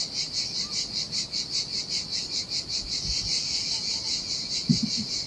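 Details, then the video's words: Cicadas singing in the heat by the Sardinian sea on an empty beach; a pulsing, high, grating buzz, somewhat irregular, with surf below and a few low thumps near the end. "Ocean Waves & Cicada Sounds - The Most Relaxing Waves Ever - Cicadas by the Sea"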